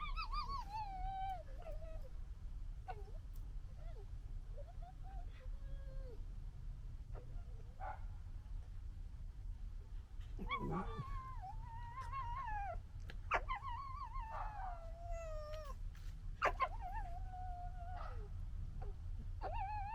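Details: Red fox cubs from 2021's litter fighting, giving a long series of nasal, wavering whines and yelps, some rising then falling, with sharp clicks scattered between them over steady low rumble.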